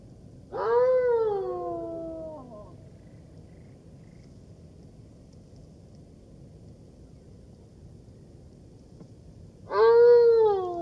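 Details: Two long mournful howls from a golden jackal, each swelling, then falling away in a harmonic-rich wail lasting over a second, about nine seconds apart, with near silence and low hiss between them.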